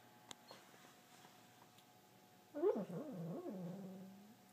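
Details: Female pet dog vocalizing while asleep and dreaming, said to resemble a turbo blow-off valve: a short wavering, whiny moan about two seconds long, rising and falling in pitch, in a quiet indoor room with faint clicks beforehand.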